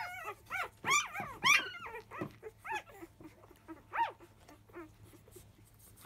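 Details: Five-day-old field-type Labrador Retriever puppies from Biscuit's litter, fussing as nursing begins just after 1 p.m.: loud arched, high whining squeals with rich overtones, rising then falling, several in quick succession, then quieter whimpers.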